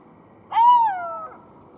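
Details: Golden jackal giving a single short tonal wail, rising briefly then sliding slowly downward over under a second, with clear harmonics above and a faint second note trailing at the end; quiet background otherwise.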